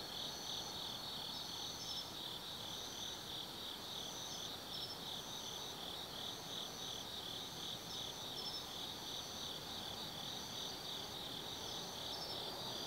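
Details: Autumn night insects in a forest above the Nobi Plain, Kaizu, Gifu, Japan: a dense, rapidly pulsing high-pitched chirring that runs without pause, overlaid by short, higher trills recurring roughly every two seconds.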